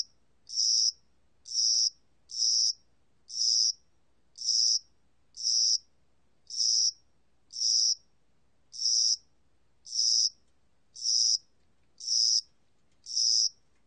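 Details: Spring and summer cricket calling in a regular series of high, rasping chirps, about one each second, with one slightly longer pause midway and a still background.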